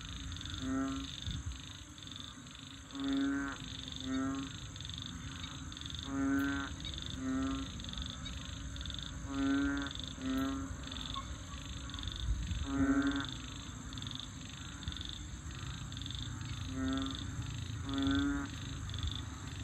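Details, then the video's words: In a rural-like wetland at Bình Quới on the Thanh Đa peninsula in Ho Chi Minh City, frogs call in short, low, throaty bursts, several voices overlapping every second or two; three frog or toad species are present. "Frogs Singing In Saigon"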